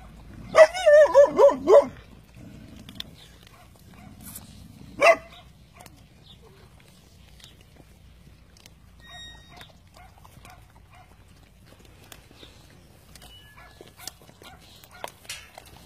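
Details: Cane Corso Italiano puppies during traditional natural weaning, eating their meal; one high, wavering whine rises and falls for about a second and a half near the start, followed by a single short yelp, then quiet feeding noises.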